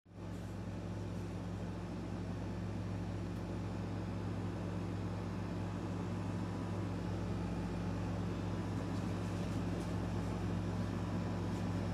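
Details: Steady loud engine or motor drone with strong low humming tones throughout, like a running vehicle; no bark or other animal sound is heard.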